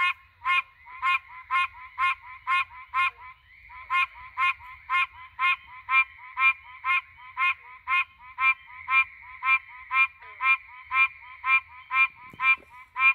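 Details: At night in the Pine Barrens, a threatened Pine Barrens treefrog gives nasal, honking quonks, about two every second in a steady series.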